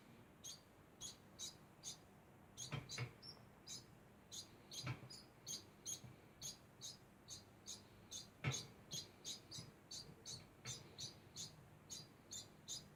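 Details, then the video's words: Constant calling from a degu: thin, high chirps pulse on and off about twice each second for the whole stretch. A few dull knocks sound in between. "Degu makes constant sound"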